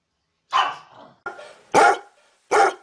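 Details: A dog fires off four loud, gruff barks within about two seconds, the second one weaker and clipped, the others full and booming.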